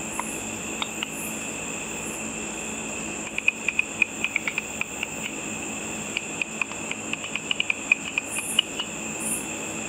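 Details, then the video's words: Bats hunting insects at night over a lit pool, picked up through a simple frequency-divider ultrasonic detector: a quick train of dry clicks midway, then scattered ticks over a steady electronic hiss and whine. "A video of bats with audio of the bat calls."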